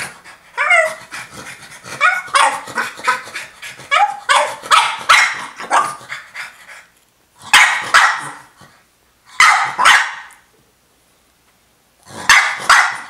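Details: French Bulldog wanting her toy, indoors as a pet: a run of short yelping whines and yips with falling pitch, then clusters of sharp barks separated by brief pauses.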